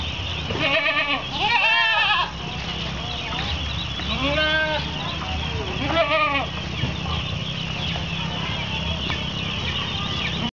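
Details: Several goats waiting to be fed at an Islamic boarding school in Kapuas, Central Kalimantan, Indonesia, recorded 10 February 2013; a cluster of quavering bleats early on, then further separate bleats, against a constant noisy hum.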